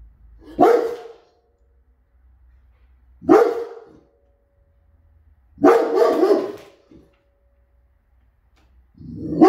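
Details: A Rottweiler gives deep, forceful barks, spaced a couple of seconds apart, warning a stranger at the door to leave while protecting his home and family.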